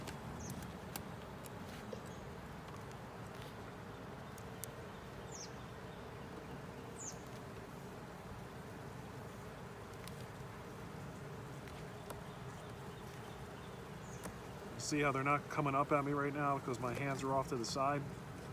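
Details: Honey bees hum in a colony opened for inspection: a 10-frame deep box with a honey super, an overcast day, drones starting to appear. A continuous low droning buzz, scattered clicks, and a loud wavering tonal sound near the end.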